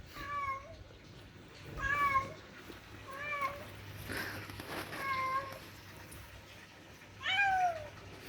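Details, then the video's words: Two cats conversing: five clear, bent meows, each rising then dropping, spaced roughly every one to two seconds. The last meow is the loudest, over a faint steady hum. "2 Sweet Cats Talking. They make strange noises"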